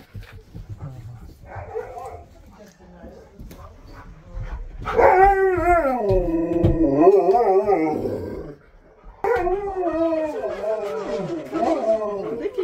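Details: Husky howls rising and wavering in pitch, a wobbling sustained song of several seconds, broken by a short gap and then resuming with more wavering howls; murmured human talk is faintly heard early on.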